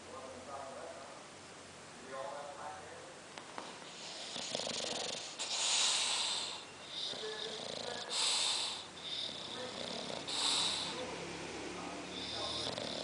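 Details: Bulldog asleep, breathing noisily with airy, hissing exhalations roughly every two seconds and softer rasping breaths between them.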